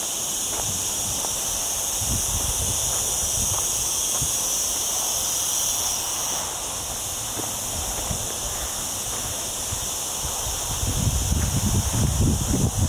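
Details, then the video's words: On a mountain walk through olive groves in lower Sierra Llana, during a hot week under cloudy skies, cicadas keep up a continuous shrill buzzing drone, while rustling leaves and footsteps come through and grow louder toward the end. "Olive Trees and Cicada Sounds"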